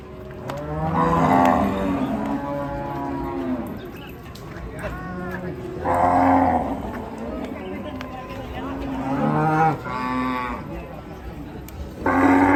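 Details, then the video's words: Agitated, raging cattle bellowing: a series of four or five strong, harmonic moos spaced a few seconds apart, each rising and then falling, with gaps of low background rumble between calls. "SAPI NGAMUK"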